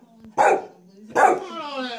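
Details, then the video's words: Alice, a pet dog, barking at a vacuum cleaner while her owner's hand is on it: two sharp, loud barks almost a second apart over a steady low mechanical hum. "Alice likes to bark at the vacuum cleaner as long as my hand is on it"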